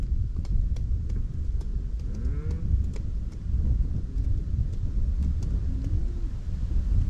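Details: Cows grazing in a meadow on Dutch farmland in the Netherlands; a low, drawn-out moo with rising harmonics comes around two seconds in, a fainter short lowing near six seconds, over heavy low wind rumble and scattered faint clicks.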